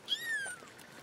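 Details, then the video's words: One of a newly found litter of four kittens gives a single short, high mew that slides gently downward and fades within half a second, with faint background noise. "Found My New Litter Of Kittens- Four Of Them"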